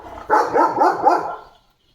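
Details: Leo, a pet German Shepherd, lets out a quick burst of four harsh, clipped barks within about a second, then falls silent.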